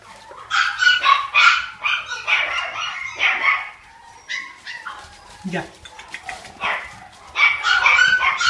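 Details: Cavalier King Charles Spaniel puppies from a breeding farm, giving high, yappy barks and yips in quick bursts, with a brief whine and a quieter pause midway and people's voices in the background.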